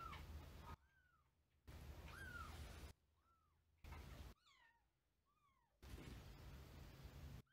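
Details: Older domestic cat that has just entered a new month-old grey kitten's space, the two having only just met; several short arched meows, alternating with bursts of noise.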